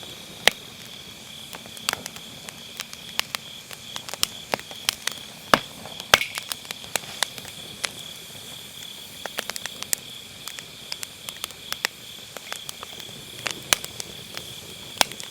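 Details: Steady high chirring of grass insects on an autumn night, heard through dense popping and crackling of firewood burning in a round fire pit; MKE600 microphone with low-cut.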